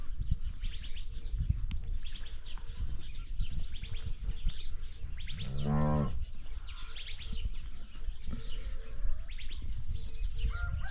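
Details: Cow on a ranch utters one short, low moo near the middle, surrounded by constant low rumble and frequent high bird chirps.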